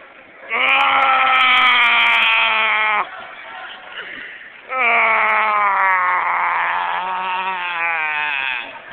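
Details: Angry sun bear (honey bear) roaring: two long, loud, harmonic bawling calls of about two and a half seconds each, wavering slightly in pitch, separated by a short quieter pause.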